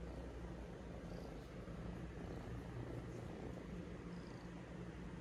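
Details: Two 3-month-old kittens purring at close range, keeping company as someone wakes up: a continuous, low, rumbling purr like a small motor, steady for the whole stretch without pauses.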